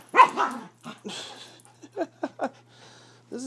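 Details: Havanese named Rose play wrestling on a bed, giving short yappy barks and growly vocal bursts in separate pulses, with a person talking to her between sounds.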